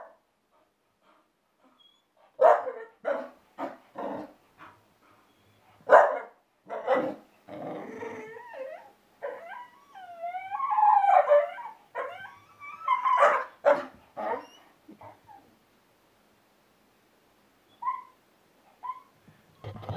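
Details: An 8-month-old Bull Terrier playing with balloons gives a run of sharp barks broken by rough, wavering growls and grumbles.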